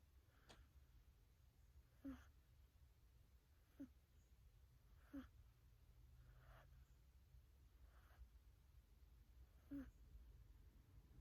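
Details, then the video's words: Sleeping cat snoring softly, faint breathy snores with a small squeak at each peak, repeating about every one and a half to two seconds over a steady low hum. "Cat Snoring for 3 Minutes Straight"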